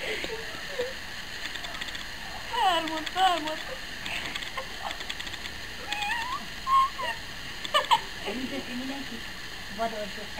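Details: Six-week-old Rottweiler puppies, meeting a stranger and a child for the first time before sleeping, give short, high whimpers and squeaky whines that bend up and down.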